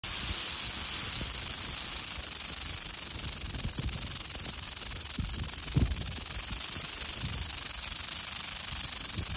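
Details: Western diamondback rattlesnake in western Oklahoma, rattling: a steady, dry, hissing buzz that holds at an even loudness for the whole nine seconds, with faint low rustles underneath.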